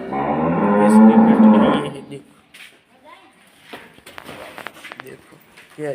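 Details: Water buffalo kept on a farm and up for sale lets out a long, full, resonant moo lasting about two seconds. It is followed by quieter rustling and handling noises, with a man's voice in the background.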